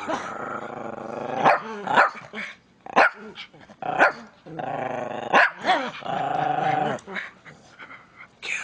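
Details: An angry pet Miniature Pinscher growls in long, rattling, tonal snarls lasting a second or more, punctuated by sudden yapping barks roughly once a second; a person's voice is faintly heard.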